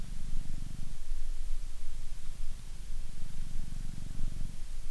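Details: Close, loud purring from a British Shorthair cat being brushed, a deep rumbling drone that swells and fades with each breath, about every two seconds, with no other sounds.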